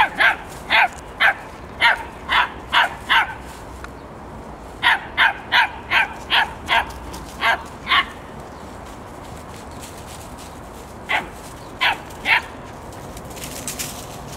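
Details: Seven-week-old Greyhound puppies yapping in rapid runs of sharp high barks, about two per second, broken by a silent gap and a few scattered yips near the end.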